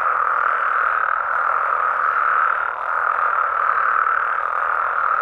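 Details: Night chorus of frogs and toads in natural Mexican habitat: a constant blended roar of mid-pitched croaking calls, briefly dipping in loudness near the middle before resuming at full strength.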